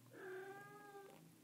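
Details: Young Bengal cat being stroked in a lap lets out one steady, tonal meow lasting about a second, with faint room noise behind.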